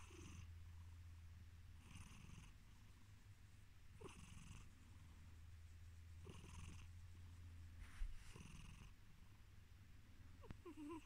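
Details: Sleepy male house cat purring as he drifts off; a constant low rumbling purr pulses with soft breathy snorts roughly every two seconds, and there are occasional faint nasal squeaks.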